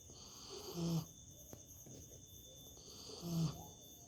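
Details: Dog sleeping comfortably and snoring. Two short, low, groaning snores about two and a half seconds apart, each lasting a fraction of a second, over a steady high-pitched background hum.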